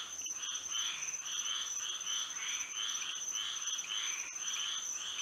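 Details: Frogs singing at night under moonlight in Florida: a dense chorus of rasping, pulsed croaks in overlapping bursts roughly every half second, over a steady high insect-like whine.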